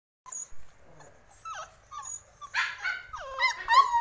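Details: Male Samoyed dog vocalizing: a mix of short whimpering whines and yelps, with bending, wavering tones that grow louder and more insistent toward the end.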